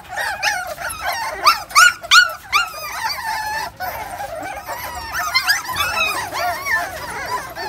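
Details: Several 43-day-old XL American Bully puppies in one litter give overlapping high-pitched whines and short yelps, with rising and falling wavering tones and no other noticeable sounds.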